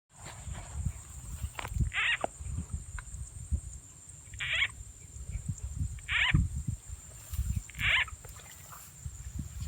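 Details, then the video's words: Frogs croaking during a frog-catching outing in the countryside at Rizal N.E., where a played frog sound effect lures them: short, harsh, buzzy croaks repeat about every two seconds over low rumbling handling noise and rustling. "Catching frogs using frog’s sound effect"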